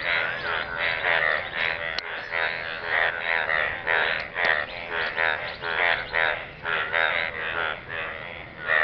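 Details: A dense chorus of frogs croaking in a pool of water, with rapid overlapping pulsed calls in a steady rhythm.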